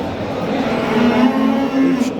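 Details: Simmental bulls offered for sale at a livestock market in Qo'rg'ontepa district, Andijan region, Uzbekistan; one drawn-out, steady low moo lasting about a second, with men talking and market bustle throughout.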